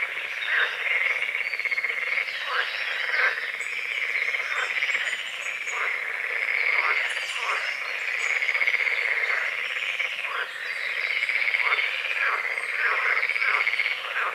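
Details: Croaking frogs at dawn on a small lake bordered by forest, a thick rhythmic chorus of fast rattling pulses rising and falling in loudness, with scattered high bird notes above.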